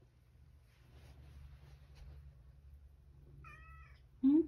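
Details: Male rescue cat calling from outside, wanting the door opened even though it can enter alone; a short harmonic meow, then a louder, sharply rising cry at the very end, over a quiet low hum.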